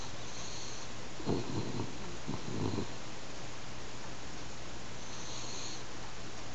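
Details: Hanako, a pet French Bulldog, snores while asleep at home, sounding like an old man. Two rasping, low snore bursts about a second apart rise out of a steady indoor hum.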